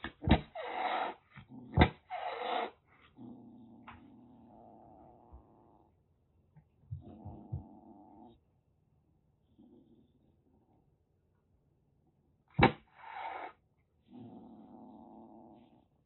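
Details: Rescued calico kitten, about one and a half months old, in Kagoshima, Japan, threatening with a rush of aggressive displays: sharp breathy hisses open the recording, then low rumbling growls follow in separate bouts, with another hiss burst near the end.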